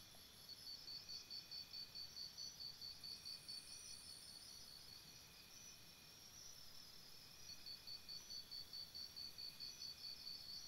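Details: Crickets calling at night near a campsite: bright, high, rapidly repeated chirp pulses in sustained runs, multiple insects overlapping, with gentle ambient rumble beneath.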